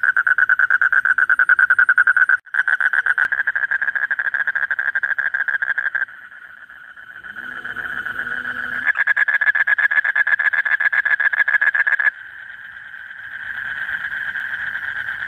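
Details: Male Asian common toad calling continuously late at night in breeding season to draw a mate near; a rapid buzzy pulsed trill, broken by short pauses and shifts in loudness, with faint low sounds mid-way.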